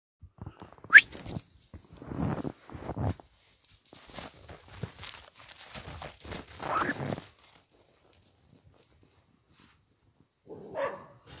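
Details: Wild boar on a farm giving rough, breathy grunts and snorts in short bursts, then a brief higher squeal.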